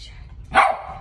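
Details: A female West Highland White Terrier barks at her own picture indoors; one short, sharp bark with a hoarse edge, following a quiet start.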